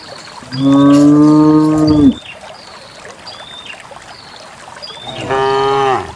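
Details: Dozens of cows in the countryside walk out to a green valley on a quiet morning, let out to graze along wet paths and wild grass. A long, steady, deep moo, then a second, shorter one after a pause. Small birds chirp faintly behind.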